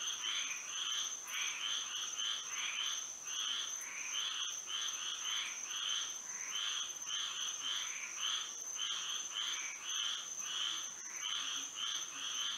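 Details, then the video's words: Frog chorus at night under moonlight in Florida, dense pulsing croaks repeating about every half second in uneven overlapping groups, over a constant thin high whine in the background. "A frog symphony to sleep and relax to"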